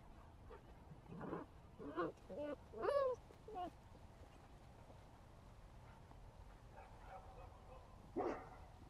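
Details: Six-week-old puppy: a run of short, quavering whines and yelps in the first four seconds, one sharper squeal near the middle, then quiet and a final brief yelp, over low background noise.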